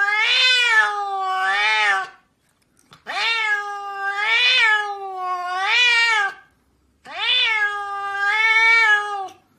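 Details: Domestic cat meowing in a compilation of cats said to speak English: long, drawn-out harmonic meows that rise and fall, given in three separated bursts, each holding two wavering syllables, in a quiet indoor room.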